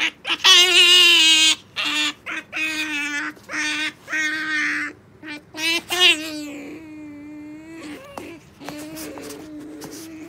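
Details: Pet otter named Sakura, being taught to wait for a jerky treat and unable to hold still, gives loud, harmonic squealing calls in rapid bursts, several per second, then quieter, drawn-out whines trailing off toward the end.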